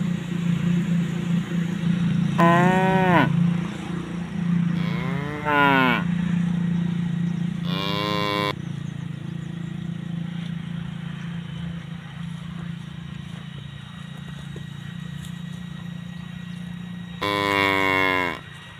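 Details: Tame cows grazing with their calves: four separate moos spread across the recording, short and arching, the last one loud and rich in harmonics, over a low steady hum.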